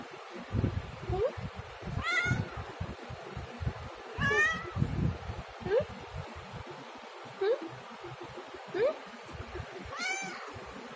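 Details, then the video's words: Domestic cat meowing repeatedly, about seven short rising meows, some bright and harmonic-rich, spaced one to two seconds apart over steady low rumbling and rustling handling noise. "Cat Meowing"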